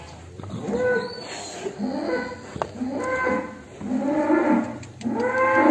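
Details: Exiting its pen, the cattle known as The Legend of Damar Wulan moos repeatedly, rich drawn-out calls coming about once a second, some rising, over a steady background hum and scattered clicks.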